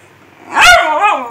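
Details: A male Miniature Schnauzer named Khybee, who hates waking up, protests as the bed gets made: one sharp, loud bark that slides straight into a wavering, descending whine.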